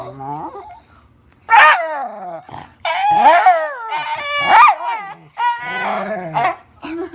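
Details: Dog making weird noises: a quiet whimpering opening, then loud yowling whines with sliding, wavering pitch, several long bent cries broken by brief gaps.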